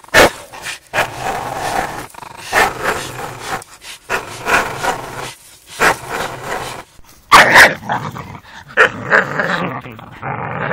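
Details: Two dogs at play, a four-year-old Staffy and a five-month-old Amstaff puppy, giving raspy rumbling growls in bursts of a second or so, with a sharp bark near the end amid scuffling noise.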